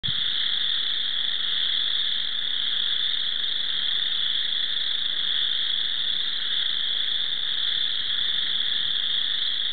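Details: Many spring chorus frogs call at once at Cherokee Marsh, their shrill, rasping trills blending into a steady, unbroken, shimmering wall of sound with no pause and nothing standing out above it.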